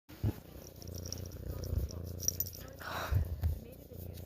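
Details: Domestic cat purring with a steady, low, rapid rumble throughout, while a person yawns softly near the end in a small indoor space.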